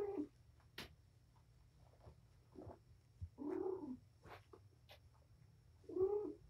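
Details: Domestic mother cat playing with her litter of five kittens in a room; short soft meows and chirps spread between clicks and taps of play, the last meow louder, over low steady hum.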